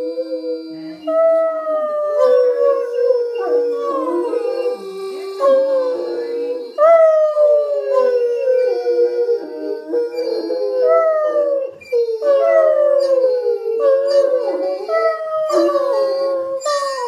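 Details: Bella, Phoebe and Ozzy, three Otterhounds in a howl-off contest, sing a continuous chorus of overlapping howls. Each voice begins high, slides down, then repeats, with rising starts every couple of seconds and yelping breaks in between.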